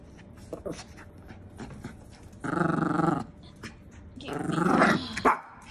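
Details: Maltese dog that wants to play, giving two drawn-out, harmonic growling barks of under a second each, the second longer and rising in intensity, with a few soft thumps and quieter noises between them indoors.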